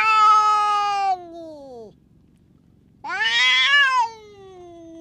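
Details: A tough stray cat lashing out at the other cats around it: two long, harmonic-rich yowling meows, the first falling steadily in pitch, the second rising then sagging, separated by a second of quiet.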